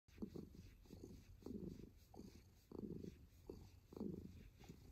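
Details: Kitten purring softly; low rumbling bursts swell and fade in steady breathing-like cycles roughly every half second, very quiet with faint background hiss.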